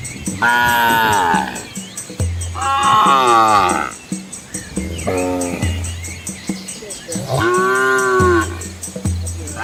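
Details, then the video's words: Herd of Asian village cows walking with their calves on a scenic rural road; four loud moos spread across the stretch, some rising then falling in pitch, with a low droning hum between calls. "Cow Sounds"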